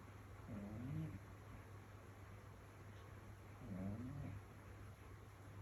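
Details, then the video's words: A domestic cat snoring while asleep on a rainy evening: two rough, buzzy, wavering snores about three seconds apart, low-pitched with a slight rise and fall, over a constant low electrical hum. "고양이 코골이 소리"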